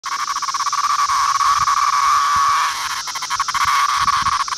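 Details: Male 17-year periodical cicada of Brood 2, Virginia, summer 2013, making its noise when picked up: a loud, continuous rasping buzz with a strong band near one kilohertz, pulsing rapidly and briefly dipping midway before resuming.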